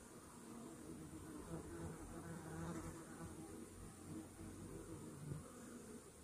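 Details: Hive of honey bees, treated that morning with Varachet against Varroa mites, giving a low, even, humming buzz with soft wavering tones through the middle.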